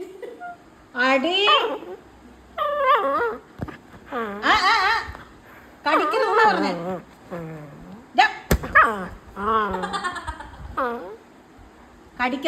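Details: A pet beagle named Vancho is scolded indoors for climbing onto and biting a bean bag. It gives a run of wavering, yodelling barks and whiny howls in uneven bursts, mixed with a person's voice and one sharp knock.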